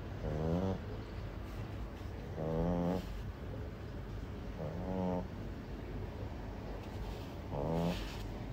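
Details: French Bulldog puppy asleep and snoring, short harmonic rasping breaths about every two seconds over a steady broadband rumble and hiss of background noise.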